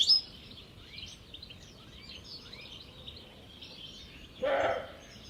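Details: A disturbed roe deer buck gives a single hoarse, gruff, dog-like alarm bark in the evening at Jantar, Poland, over soft background birdsong.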